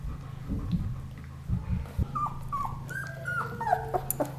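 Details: Ten-day-old German Shepherd puppies, just starting to open their eyes, give thin high whimpers and squeals that rise and fall, several short cries overlapping near the end, with low rumbling and snuffling beneath.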